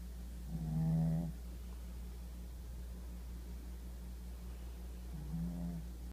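A Shih Tzu snores with low, rumbling breaths spaced several seconds apart.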